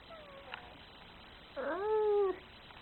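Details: Angry cat: a faint, thin cry at first, then a louder, short, rising-and-falling yowl of under a second, sharp-edged and whiny.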